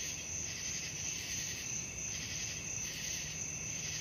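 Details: Nighttime crickets heard as a sleep aid: bright, continuous high trilling with soft periodic surges about three times a second, steady throughout the short stretch.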